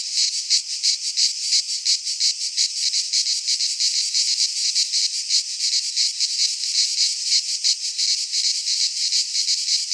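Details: In a Greek pine forest during midsummer, cicadas keep up an intense high-pitched rasping drone, pulsing rapidly at around three beats a second without pause; no birds, wind or voices intrude.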